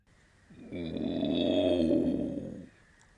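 A tiger gives one rasping, throaty roar lasting about two seconds. It swells in loudness and then fades, with no other sounds.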